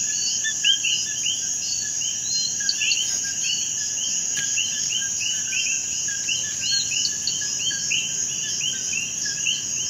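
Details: Massed common coquí frogs in Puerto Rico, countless short chirps and rising whistled notes overlapping continuously, set against an unbroken high insect whine.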